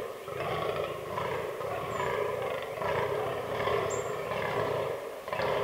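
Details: Rutting fallow bucks in an autumn forest herd with albino and black animals give deep, raspy groaning bursts, roughly four in six seconds, over a steady hiss and thin birdsong.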